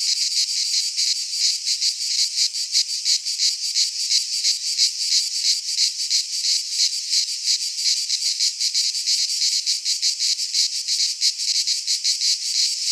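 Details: Midsummer chorus of cicadas in a pine forest in Greece, a continuous shrill rasping drone pulsing quickly and evenly, loud and unbroken with nothing else audible.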